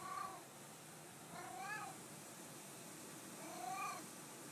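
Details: Domestic cat greeting its owner with three separate meows spread over a few seconds, each a brief, arching mew with a rise and fall in pitch, against steady background hiss.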